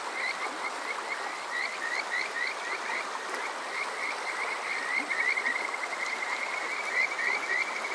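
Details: Chorus of Kajika frogs on a summer night in Yokoze, Chichibu district, Saitama, Japan: bright trilled whistles strung together in fast rising runs, several callers overlapping against constant stream noise, captured with a TASCAM DR-05X.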